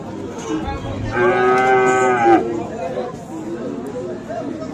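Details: Friesian and crossbred bull calves at Aftabganj cattle market in Dinajpur on 10 December; one drawn-out, harmonic moo of about a second, rising slightly then falling away, over a steady murmur of market crowd noise.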